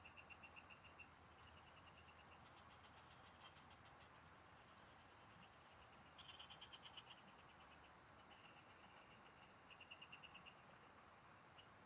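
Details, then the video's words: Frogs calling together in farm fields while fishing goes on: repeated trains of quick, sharp pulses, with a brighter, louder burst near the middle, set against a constant thin high-pitched drone. "Pikinggan mo Ang MGA huni Ng MGA Palaka SA bukid| Relaxing Frog Singing"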